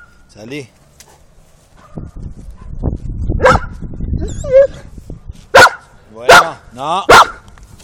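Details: Giant Schnauzer at the Paillan Tremo kennel in Cba: three loud, sharp barks spaced under a second apart close the recording, preceded by high whining yelps and human voices talking in the background.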